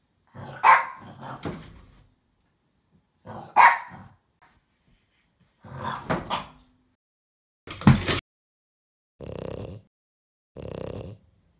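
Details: French Bulldog Apple barking while attacking a box in play, sharp barks in pairs a few seconds apart, followed by lower, muffled growling snorts toward the end.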